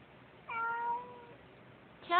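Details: Pet cat named Sissy, unhappy about another cat in her yard, gives a drawn-out harmonic meow lasting nearly a second, then the start of a second louder meow; quiet indoor background.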